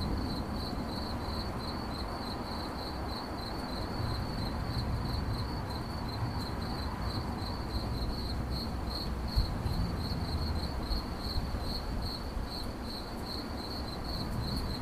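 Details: Long stretch of cricket chirping in 8D audio, sharp high-pitched pulses repeating quickly and evenly throughout, with faint higher ticks and a steady low-frequency rumble underneath.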